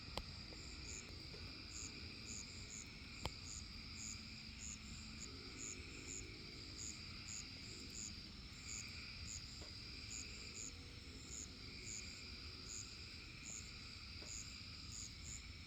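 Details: Crickets calling outside a house on 6 June 2025, with frogs also present; a faint, very high, steady pulsed chirping runs throughout over a low hum and a quiet lower trilling chorus.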